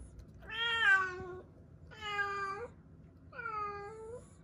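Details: Three clear, plaintive meows from weak rescued kittens found clinging together, each about a second long, bright and harmonic with a slight downward slide, separated by short pauses in a quiet room.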